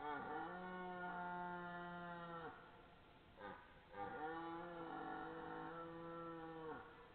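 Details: Red deer belling at 21:57 on 12 September 2014, possibly two deer calling; two drawn-out, steady, tonal bellows rich in harmonics, each lasting over two seconds, separated by a short pause with a soft noise.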